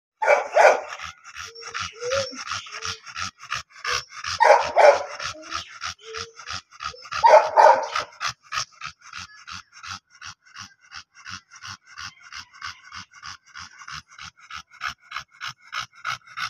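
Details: Female Dogo Argentino puppy of import line: three short whining yelps near the start, each a harmonic burst, over a steady fast ticking pulse repeated throughout the recording.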